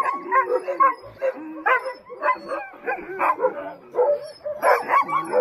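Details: Several Alaskan Huskies, working sled dogs at a kennel in Willow, Alaska, getting ready for a run, bark and yelp in quick overlapping bursts, with whiny pitched cries throughout and no pause.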